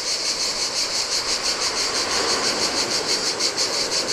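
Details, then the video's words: Cicadas singing in the heat on a deserted beach of a Greek island by the Adriatic sea: a dense, high buzzing chorus pulsing about three times a second, with a soft wash of surf beneath. "Cicadas by the Sea - Ocean Waves & Cicada Sounds"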